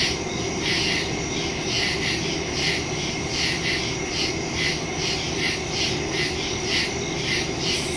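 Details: A night chorus of crickets in woodland, captured September 2, 2023 on a phone with a stereo microphone: high trilling pulses repeating steadily about twice a second over a noticeable low-pitched hum.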